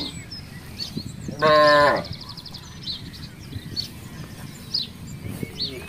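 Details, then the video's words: Free-roaming village cattle wandering through a housing complex: a single loud, flat, overtone-rich moo of about half a second, over steady outdoor background noise and faint chirps. "suara sapi"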